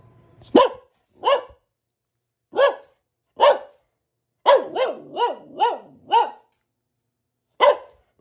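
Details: A female Boxer dog barks: loud, deep single barks, then a quick run of several in a row.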